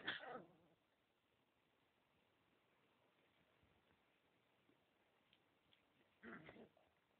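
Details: Husky puppies giving a short, high whimpering yelp at the start, then a second brief whine near six seconds, with quiet indoor hiss between the calls.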